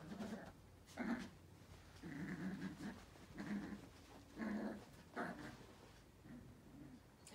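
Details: Male Yorkipoo puppy, Yorkshire terrier crossed with toy poodle, indoors in Canada, eager to play with a WALL-E toy: low rumbling growls and nasal grumbles repeated about every second, roughly half a dozen bursts.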